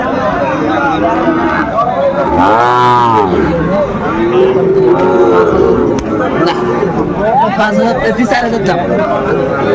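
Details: At a market selling Sahiwal breed bulls to Dhaka farmers in late December 2024, a single low, arching moo sounds early on, buried in loud human chatter and haggling.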